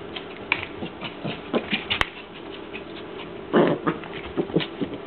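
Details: Yuki, a pet dog, fighting with its lead: short rough vocal bursts, the loudest a low throaty rumble just past the midpoint, mixed with scuffling, rustling and a sharp click near the two-second mark.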